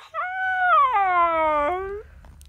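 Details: Siberian Husky howling: a steady, held tone that slides downward after about a second and ends abruptly near two seconds, with faint low rumble behind.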